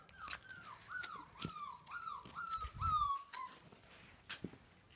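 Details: Small Siberian husky puppies whining: a quick run of about seven high, tonal whimpers over three seconds, each sliding downward, with soft knocks and handling bumps between them and a few quieter noises afterward.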